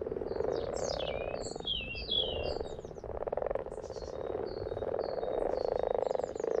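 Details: Frogs in their happy place calling together, a dense low croaking chorus pulsing steadily throughout, with chirpy whistled bird-like notes darting overhead in short rising and falling strokes.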